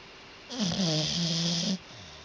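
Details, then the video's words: Sleeping dog letting out one loud, drawn-out snore, a wheezy nasal breath with a whining, wavering tone lasting just over a second. "Funny dog snoring loud when sleeping"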